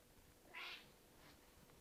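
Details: Cinnamon, a Red Point Ragdoll cat, making funny noises at a bug: one short, bright, high chirp, followed by a fainter echoing chirp, over a steady faint hum.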